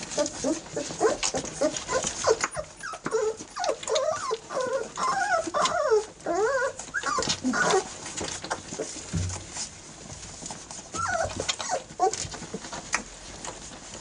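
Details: Eighteen-day-old Airedale Terrier puppies of the E2 litter mobbing mother Lisa at feeding time; a busy run of short wavering whines and squeaks, rapidly repeated, amid rustling and shuffling.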